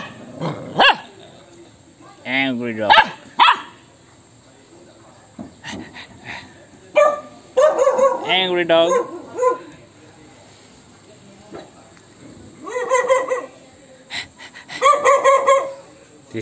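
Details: ['Angry dog, reacting to an annoying sound, lets out scattered bursts of yelping barks and whining yips between stretches of quiet, mixed with human speech.']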